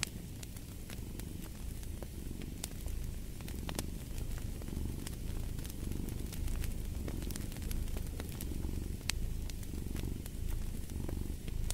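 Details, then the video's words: Deep, continuous purring from a cat, pulsing in regular breath cycles about once a second, set against the snapping and crackling of a burning fireplace. "Purring of a Cat"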